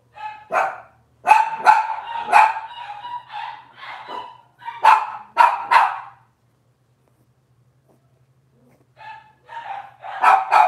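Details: Cavalier King Charles Spaniel puppies from Robin's litter, filmed indoors on a kitchen livestream on a Wednesday morning, give high yappy barks in quick bursts, with a pause of silence before a final cluster of yips; a faint low hum underneath.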